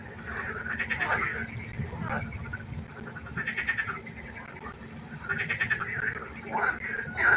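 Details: Frog chorus at a pond at night, with several buzzy pulsed croaks rising out of the background at irregular intervals and a denser, louder burst near the end.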